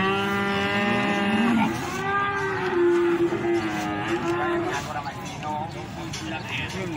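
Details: Cattle at the Plaosan cattle market in Magetan, with a long low moo holding steady, then a second drawn-out lowing call, while traders haggle over prices in the background.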